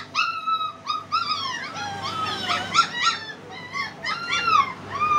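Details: Young German Spitz pup letting out a string of thin, squeaky whines and short yelps that bend up and down in pitch, closely spaced, with steady low hum in the background.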